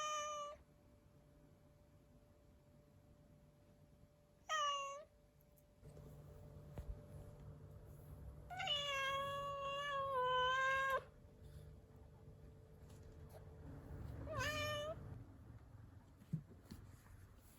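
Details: Pet cat from a rescue household with a run of meows: a short falling meow, another brief one, then a long wavering, drawn-out meow lasting over two seconds, and a last short call, over low background hum.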